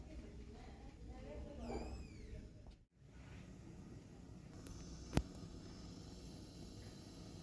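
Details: Fluffy kittens learning to climb give a short high meow with rising and falling harmonics near the start, followed by a brief dropout, a sharp click and steady low background rumble.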